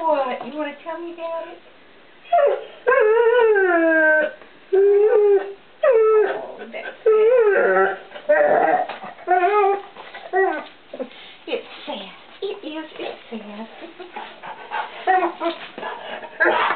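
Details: In a kitchen, one-year-old English Setter puppy Ozzy calls out for hidden treats with drawn-out, arching howl-like whines and short yips, repeated in bursts for many seconds, a woman's voice mixed in.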